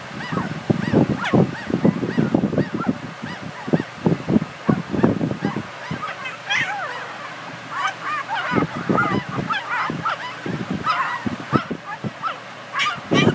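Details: Border Collie puppies, several together, making all kinds of noise: a busy jumble of short yelps, squeaky whines and rising and falling squeals, overlapping and repeated in quick bursts throughout.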